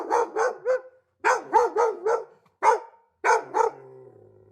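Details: Dog barking in quick bursts: groups of three and four sharp, mid-pitched barks, then two single barks, with brief silences between groups; a faint low hum trails at the end.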